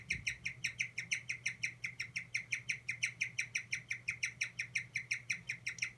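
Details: Stressed guinea pig crying 'kyu kyu kyu': a steady train of short, high-pitched squeaks, roughly five each second, evenly paced, over a quiet continuous low hum, with a soft thump at the very start.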